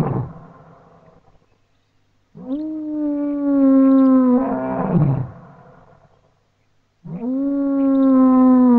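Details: A lion's dawn greeting roars across African bushveld grassland and woodland near the Tropic of Capricorn: long, deep, moaning groans, each held for two to three seconds and falling slightly in pitch, with short silences between.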